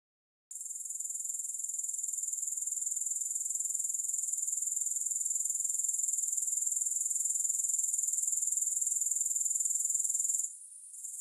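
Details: Grasshoppers in a long recording with no music: a steady, very high, hissing trill that holds an even level without pause, then drops away abruptly just before the end.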